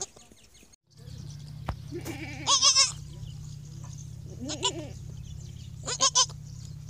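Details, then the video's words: Goat kid, newborn and on its first day, calling with wavering, quavering bleats: one long shaky cry, then two shorter ones a couple of seconds apart, over a steady low electrical hum. "the baby goat first day baby noise"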